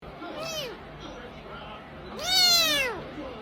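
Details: Kitten meowing twice: a short arched mewing call, then a louder, longer one rising and falling in pitch with a bright harmonic tone, over a quiet background hum.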